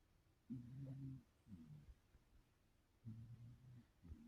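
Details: Old cat, 17 years of age, snoring in its sleep as it dreams and twitches; soft, low, buzzy snores come in short bursts, roughly one to two each second, in a quiet indoor room.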